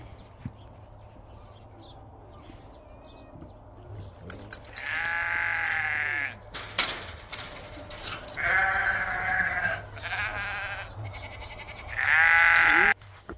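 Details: Sheep on a homestead farm in winter as snow melts, penned and calling while being fed and readied for loading; several loud wavering bleats of about a second each, spaced a few seconds apart, over low rumbling background noise.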